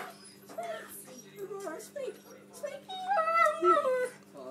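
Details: A 3-year-old female Alaskan Malamute cries with wavering, rising and falling whines while waiting for her dinner.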